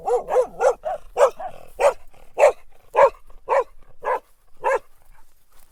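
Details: A dog barks repeatedly at a steady rhythm, roughly two barks per second at first and then slowing slightly, each bark short and sharp, trailing into quiet at the end.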